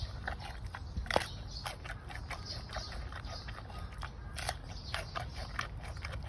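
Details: Giant panda eating bamboo shoots: quick, irregular crunching and snapping bites, sharp cracks several times a second with one louder snap near the start, over a soft low rumble.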